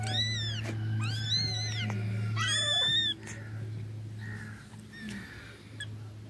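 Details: Cat meowing: about five loud, bright, rising-then-falling meows in the first three seconds, then softer, fainter calls over a constant low droning hum.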